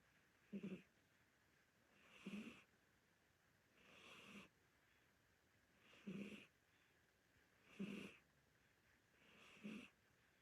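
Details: Domestic cat, an older Korean Shorthair, snoring while asleep: soft rasping breaths repeated roughly every two seconds, six even snores with a breathy hiss on each, quiet room.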